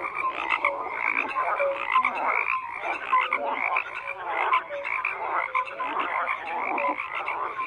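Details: Many frogs calling at once: a constant mix of rattling croaks and short whistled notes, dense and unbroken throughout.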